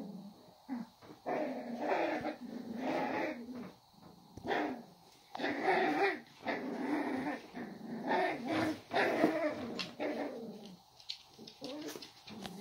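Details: Cavalier King Charles Spaniel. Young Cavalier King Charles Spaniels trade rough, rumbling growls and high snarls in uneven bursts of a second or two. The sounds come from puppies play-fighting, with brief quiet gaps between rounds.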